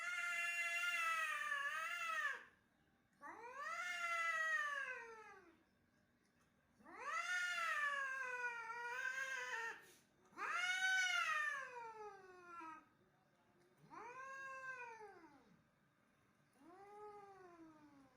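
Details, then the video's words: Angry domestic cat during a fight, uttering a series of six arched, moaning yowls that climb then fall, the later cries shorter and softer, separated by short pauses. "Angry Aggressive Cat Fighting"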